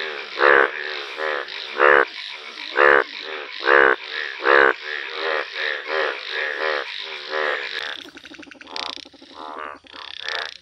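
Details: Calling Indian bullfrog, yellow in colour: five loud, rasping croaks spaced about a second apart, followed by quieter overlapping croaks and mixed background noise.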